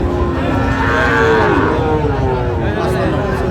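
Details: Sahiwal bull calf bought by a Tangail farmer, Bangladesh, 16 October 2025. A drawn-out, wavering low moo rises and falls over about two seconds amid loud crowd chatter and background noise.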